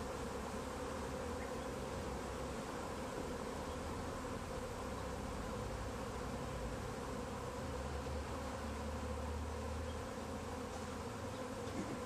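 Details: Honey bee swarm clustered in a tree, being caught and collected into a bag: a steady, dense droning hum with layered low tones, unbroken and even in loudness throughout.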